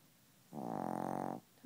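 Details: Sleeping Chihuahua snoring and refusing to wake: one buzzy, fluttering snore lasting just under a second, a rapid pulsed vibration with rich harmonics, then quiet.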